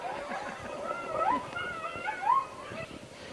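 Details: Coyote pack, described as hungry, in Northern California: thin, quavering howls and short rising yips overlap, with brighter whining slides near the middle and end over a faint hiss.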